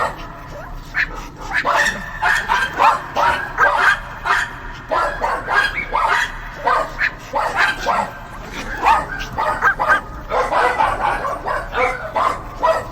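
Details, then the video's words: Dogs barking steadily for the whole stretch, rapid overlapping barks several per second with short gaps, some higher yapping notes mixed in. "Barking Dogs"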